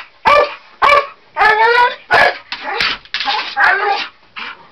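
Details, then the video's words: A Bull Terrier barks at an attic ladder he treats as an adversary, giving a run of loud, raspy barks at uneven intervals, some drawn out and whiny. "Snoop The Bull Terrier barks away for naught as is often the case..."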